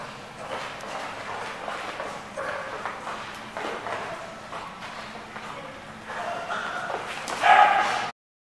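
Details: Dog barking, recorded on February 16, 2015: a series of rough, noisy bark bursts spaced irregularly over the clip, growing loudest in a final burst near the end, with steady background noise between.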